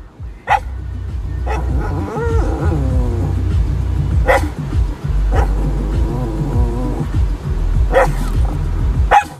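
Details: Boston Terrier guarding with single abrupt barks roughly every one to three seconds, over a steady low hum and faint music.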